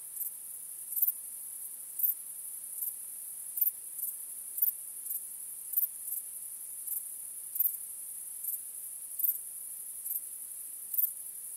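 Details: Crickets at night, their high, constant trill forming an unbroken backdrop while brief louder chirps recur at roughly one-second intervals.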